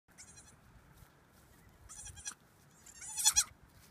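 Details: Tiny goats bleating softly: three short, thin, high-pitched wavering bleats spaced about a second apart, the last one loudest, over a faint background hiss.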